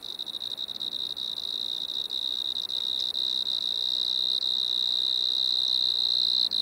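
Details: Striped marsh-cricket (Pteronemobius lineolatus) singing at Maggia, Switzerland, on 1 September 2023: a steady, high, unbroken trill near one pitch, running throughout with slight flutter, over a faint background hiss.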